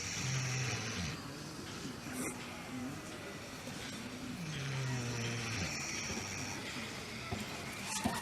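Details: Pig family sleeping together, snoring: low, droning snores that slide downward, recurring roughly every two seconds over a steady background hum.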